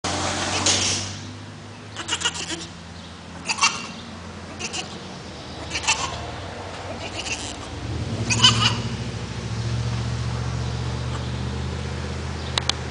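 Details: Baby goat crying with a series of short, harsh bleats repeated every second or two, over a steady low engine-like hum and broadband background noise.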